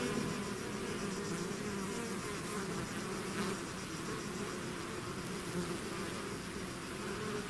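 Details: Honeybee swarm leaving its hive, a steady dense buzz of many insects with layered hums around two to four hundred cycles, continuous and even throughout, no other sounds.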